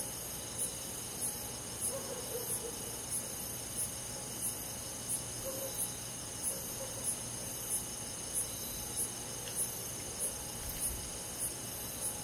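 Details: Cricket chirping on a summer night amid a rural insect chorus: crisp high pulses repeated about every 0.65 seconds, very regular, over a steady shimmering drone of other insects.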